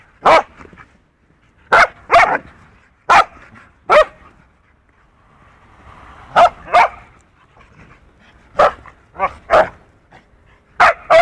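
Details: A poodle named Punky, two years old, and a four-month-old wolfdog pup engage in rough play. Loud, abrupt barks ring out singly and in pairs, spaced irregularly across the stretch, with soft whimpering murmurs in the pauses.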